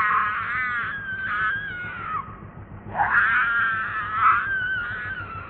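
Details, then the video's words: Baby monkey named Leo, missing its mother and begging for milk, cries in two long wavering wails, each sliding up and down with a rich harmonic tone, separated by a short pause, over a low rumbling background. "I Mi-ssing M-om So Much I Ve-ry V-ery Lo-vely Cute Baby Monkey."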